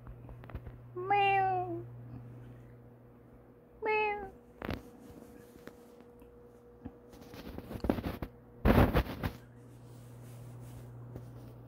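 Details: White-lion-nicknamed kitten at play after napping, trying out biting with its growing teeth: two short descending meows close together, followed by thumps, scuffles and rustling of play against a low indoor hum.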